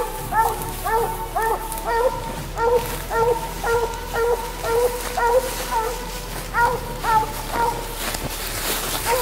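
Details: During coon hunting, a Treeing Walker Coonhound keeps up rapid, repeated short barks roughly twice a second for the whole stretch, with crackling and faint human sounds in the background.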